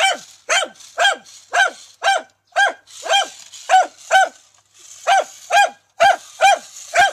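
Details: Brave dachshund barking steadily at a remote-controlled toy tarantula: a long series of sharp, ringing yaps, about two per second, broken by brief pauses, with soft background hiss.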